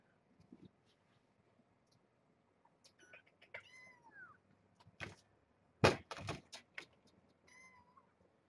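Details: Morning at Purrfect Pals with Janine, a rescued stray mother cat, and her kittens: a few scattered high meows, one curving down, amid loud thuds and knocks and brief speech indoors.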